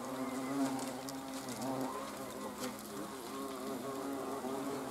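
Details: Low, wavering buzz from hornets observed on 30 June 2020, the overlapping drone rising and dipping in pitch as insects move about, with light ticking noises above.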